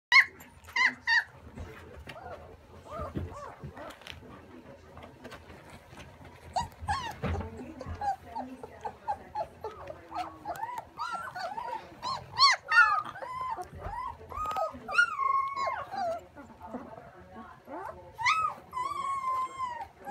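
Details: Puppies after breakfast, before nap time, giving many high whines and short yelps that rise and fall in pitch, irregular and often overlapping, with occasional bursts of louder crying.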